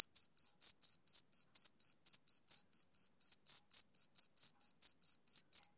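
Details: A male cricket on a summer evening keeps up a bright, shrill chirp, short high-pitched bursts repeated about four times each second with even spacing and no other sounds.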